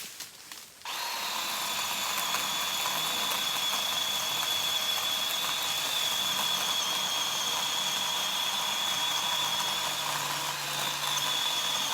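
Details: A power tool such as a drill whines steadily after a brief pause, with a high mechanical tone and no animal voice.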